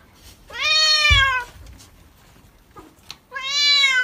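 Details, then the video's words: Pet cat protesting during a bath: two loud, clear meows, each bending slightly upward and then falling away, separated by about two seconds of near quiet with a brief thump. "Cat's Reaction To Bathing-Why Cats Hate To Bathe?"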